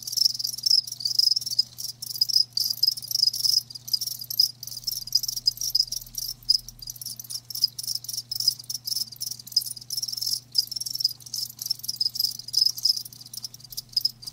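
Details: Live crickets produce a steady shrill chorus of rapid chirps, repeatedly interrupted by brief near-silent gaps, with a quiet low hum underneath throughout.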